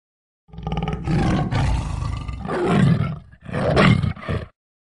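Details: A tiger gives a deep, rumbling roar in two long, throaty bursts.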